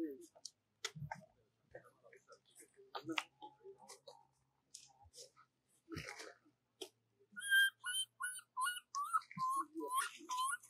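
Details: Baby monkey crying and calling for its mother before falling asleep: scattered clicks and rustles first, then a run of short, clear whistled cries with a rising-falling bend, repeated roughly twice a second.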